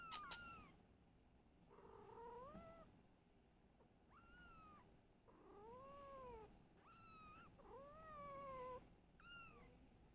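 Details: Mother cat Silky and her kittens at home: a run of meows, some bright and high with rising-then-falling shape, others lower, longer and more nasal, following one another every second or two over a quiet room.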